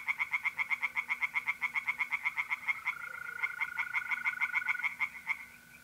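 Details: On an April night in north-east Italy, pond tree frogs give loud, quick-fire croaks roughly four a second, while a mole cricket's continuous high trill joins midway and carries on under the chorus.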